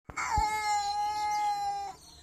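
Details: Kitten giving one long, steady, drawn-out meow lasting nearly two seconds, held at an even pitch with a rich harmonic tone, then cut off abruptly; quiet room background.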